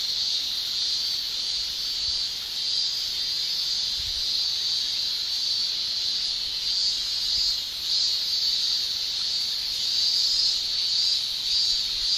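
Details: Summer chorus of male cicadas in Japan, their tymbal song forming a continuous high, hissing shrill that rises and falls gently in waves, with no other distinct sounds.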